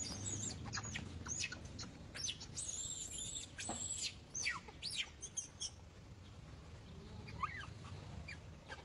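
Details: A baby monkey, female, shrieks in protest as another monkey tries to catch her and she clings to an old monkey; piercing high squeals and short sharp chirps come in an irregular volley, fading into softer rising cries.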